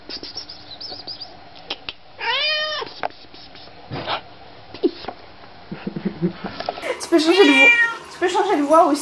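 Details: Domestic cats reunited with their owners, greeting them happily: a short series of arching, harmonic meows, with quieter calls before and after, and a woman speaking French affectionately over the later part.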